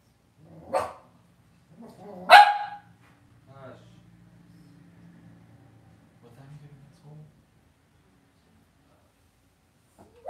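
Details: Cavalier King Charles Spaniel puppies in an indoor home puppy pen; two sharp, loud barks about one and a half seconds apart, followed by a low murmuring voice and faint rustling, then a final bark.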